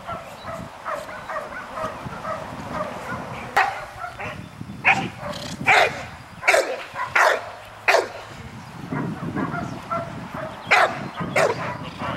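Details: Trip, a nine-month-old American Bulldog, barks repeatedly while training on June 24, 2007, at ICSC: loud, abrupt barks in irregular bursts from a few seconds in, over steady background noise.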